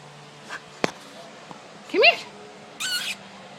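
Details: Indoor play fight between a new puppy and an older dog, Teddy: faint taps and a thud, then a single loud arching whine, followed by a short higher squeal, with a person calling the dog.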